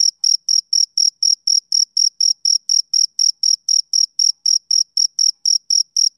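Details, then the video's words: Rhythmic chirping of a male cricket on a summer evening. Evenly spaced, shrill, high chirps come about four per second, each a crisp burst with a faint upper overtone, over a clean, silent background. "Cricket Chirping Sound Effect"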